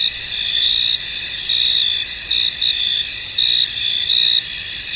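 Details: Crickets chirping in a misty, foggy field, a steady dense chorus of high, shimmering trills layered in continuous bands, with no clear pauses and only brief faint clicks above the constant insect drone.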